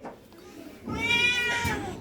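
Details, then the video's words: Hungry pet cat calling for food. A single drawn-out, harmonic meow rises and falls over about one second after a quiet start, with faint indoor background noise. "পোষা বিড়াল খিদা লেগেছে মা মা করে ডাকছে"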